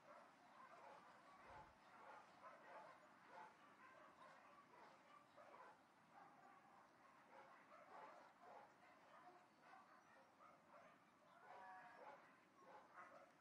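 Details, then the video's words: Far-off dogs bark almost continuously in overlapping, muffled yaps that blur together over broad background noise, with a brief low thud early on. "Barking Dogs at a Distance"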